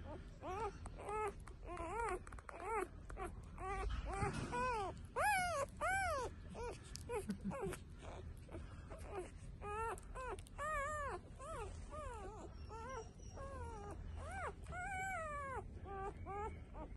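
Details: Female blue-nose Pit Bull puppies from a litter born June 23, 2022, UKC registered, at a kennel in Buffalo, New York. Rapid, repeated high whining cries, each arched and rising then falling, overlapping in an indoor room with faint background voices.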